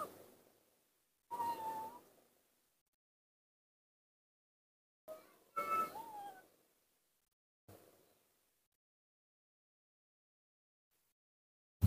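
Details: Baby monkey named Nomi, confused and playing alone in the dirt of a front yard, gives short high squealing cries with thin harmonics, some gliding downward, in separate bursts broken by long silent gaps.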